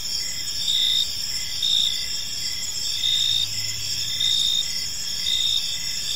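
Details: Evening cricket chorus in a quiet park, bright shrill trills running continuously while one louder chirping voice pulses about once a second above the steady background.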